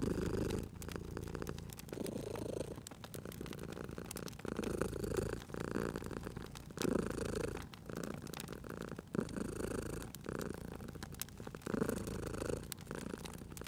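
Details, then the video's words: Purring cat resting by a fireplace, its deep continuous rumble rising and falling in breath-like waves roughly every two seconds, while crackling wood pops and snaps throughout. "Cute Purring Cat at a Crackling Fireplace"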